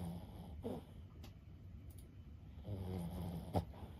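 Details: Fifteen-year-old Boston Terrier Lulu asleep indoors: a short snort, a pause of quiet breathing, then a longer low snore ending in a sharp sniff.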